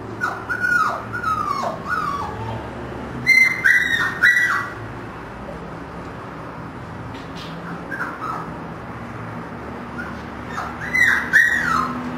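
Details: Husky pups of a five-puppy litter (three pure white, two gray-white) born 1 October 2009 at a kennel whine repeatedly in thin, falling, whistle-like squeals, clustered in bursts with quieter gaps between.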